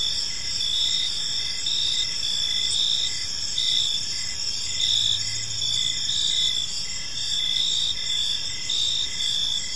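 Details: Crickets in a peaceful park as evening falls, continuous high trilling with rhythmic chirp pulses about every second, and a brief low hum in the background midway.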